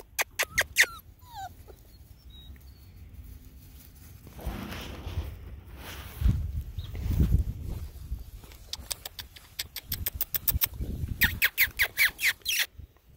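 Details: Poodle puppies, all males, playing on grass outdoors; short high sharp yips come in quick bursts at the start and again near the end, with low thumping and rustling between them.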